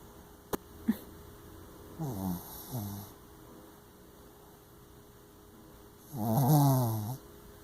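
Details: A male Shih Tzu / Yorkshire Terrier mix, tired after a hike, snores deeply in low, raspy, rattling breaths, each snore a rough gurgling swell, coming in slow bursts a few seconds apart.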